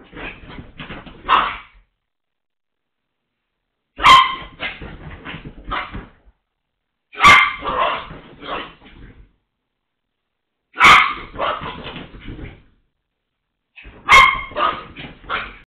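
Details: Excited Toy Poodle doing zoomies on a couch while alone, letting out clusters of rapid, sharp barks and yips. The bursts come roughly every three seconds, with quiet gaps in between.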